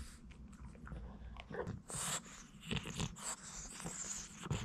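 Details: Crunching and gnawing from a Boston Terrier working on hard little duck-bone treats; steady rough chewing with repeated sharp cracks and a low rumbling background.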